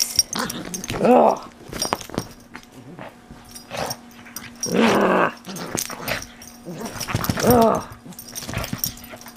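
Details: A pug enthusiastically mauls a plush toy, giving three bursts of rough growling with whiny, wavering tones spaced a few seconds apart, with quieter snuffles and soft rustling between.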